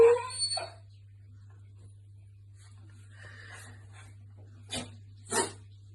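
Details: Chihuahua sneezing, from a household pair named Lady Pixie and Cheeky Charlie: after a brief whiny harmonic sound and near-silence, two sharp, short, noisy bursts about half a second apart close the recording, over a steady low hum.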